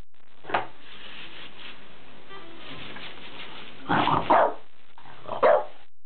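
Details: A French Bulldog goes wild at a new pull-up bar, giving a few short, gruff excited barks with pauses between them.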